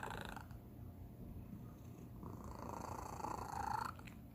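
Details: Domestic cat, the youngest in the home, purring unusually; low steady rumble with a faint squeaky tone near the end of a short stretch.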